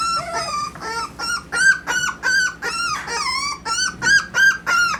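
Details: Miniature dapple Dachshund puppies from Austin, Colorado, crying in high, tonal whimpers that rise then fall. About a dozen short whines come in quick succession, with rich overtones and brief gaps between them.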